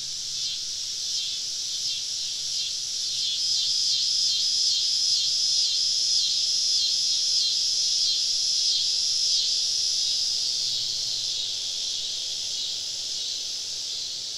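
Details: Cicadas calling all around a camp deep in southern woods on a summer evening: a dense, high, shimmering buzz pulsing about four times a second, swelling mid-clip, with a faint low hum beneath.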